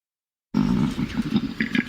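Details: A male koala gives its breeding-season mating call, a deep, rasping bellow with a pulsing, low, snore-like roar.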